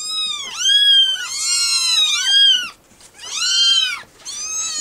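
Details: Rescue kittens from a recent litter clamouring for food with piercing, arching meows, several voices overlapping, then a short silence before another cluster.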